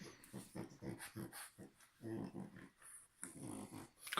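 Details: Sleeping bulldog puppy snores in a small room, a run of rasping, growl-like snores in quick rhythmic pulses, a brief pause, then another series, closing with a sudden loud sound.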